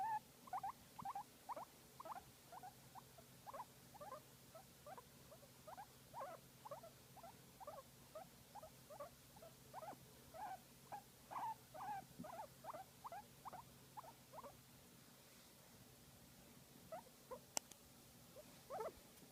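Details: Guinea pig enjoying a massage, uttering a long run of short, quiet mid-pitched chirps and squeaks roughly two per second, fading toward the end with sparse notes and a single sharp click; steady faint hum underneath.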